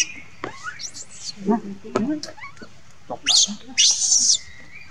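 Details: Monkey crying and calling for its mother, harsh high-pitched screeching bursts rising at their starts, around five in under five seconds with gaps between, plus faint lower squeaks and clicks in the background.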